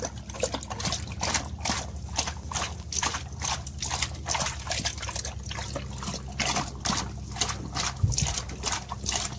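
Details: Great Dane named Glock drinking from a bucket, dunking his whole face into the water. Rhythmic wet sloshing and splashing, about two splashes a second, continues steadily from start to end.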